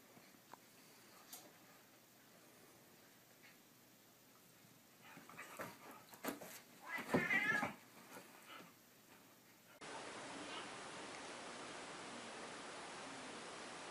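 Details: Cat caught stealing a dog's bed, giving a brief harmonic meow in the middle of the clip amid faint indoor rustling, followed by a steady background hiss.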